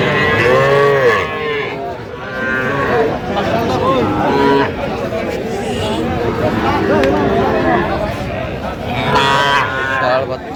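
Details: Crowded Madaripur cattle market, Bangladesh, 13 January 2026, with young Sahiwal bull and heifer calves for sale; overlapping moos from several calves come in bursts amid loud chatter and men haggling.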